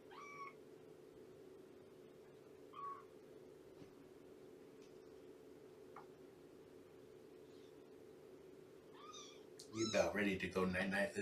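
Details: Shelby, a domestic cat about two years old, once abandoned and now in the care of Purrfect Pals, heard on a morning visit: three soft, quiet meows spread over the clip, each arching up then down, with a steady low hum and a burst of noise at the end.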